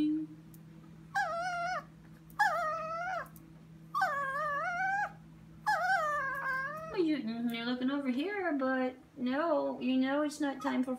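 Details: Female Chihuahua whining at 2am in a kitchen, staring at something: four high, drawn-out whines about a second each with short gaps, then a continuous lower, wavering string of whimpers, with a constant background hum.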